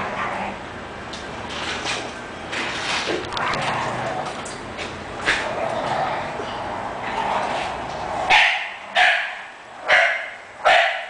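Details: English Bulldog, four short sharp barks spaced about a second apart near the end, after a stretch of loud background noise with voices and shuffling.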